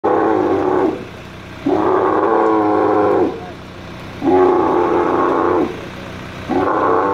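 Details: Angry male dromedary camel being moved by crane at the Camel Market in Al Ain, UAE, 21 March 2017: loud, harmonic roaring bellows about a second long, repeated four times with short quieter pauses between.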